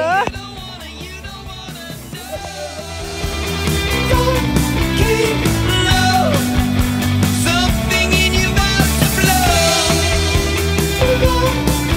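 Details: Loud rock music with singing, guitars and a steady driving beat that grows louder after a quiet opening; no animal sounds.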